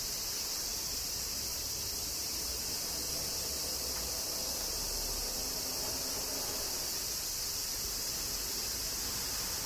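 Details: Droning cicadas in Kyoto, Japan, amid summer rain, an even, high, sizzling buzz filling the whole stretch without rhythm or break, over a faint low background hum.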